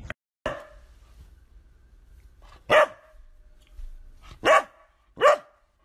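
A Golden Retriever gives four loud, deep single barks, spaced unevenly with quiet between them.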